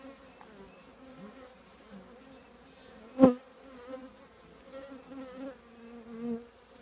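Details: Honey bee colony in an old trash can giving a low, even hum with wavering overtones; one sharp loud click near three seconds, then passing bees rising and fading toward the end.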